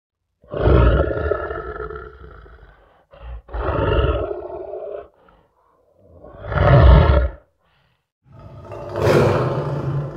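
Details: Roaring lion: four long, deep, powerful roars with rich harmonics, each lasting one to two seconds and separated by short pauses, the last one harsher and more strained.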